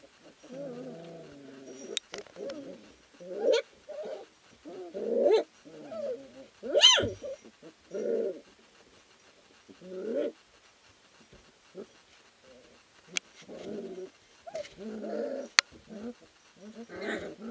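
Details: Three-week-old puppies from an Ari x Grace litter at a sprint mushing kennel, wrestling and playing in the whelping house: a run of short squealing, whining yelps and grumbles, one sharp high squeak near the middle, irregular bursts every second or two.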